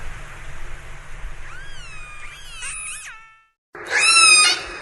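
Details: Orca calls underwater: a wavering, upswept tonal cry with rich harmonics, a brief pause in silence, then a louder, strident squeal that holds level, all over constant background hiss.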